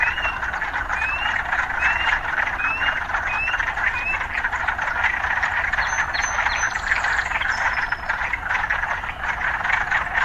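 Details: Urban frogs in a dense, steady chorus of buzzing trills, with short rising whistled notes repeating about every second early on and brief high chirps near the end.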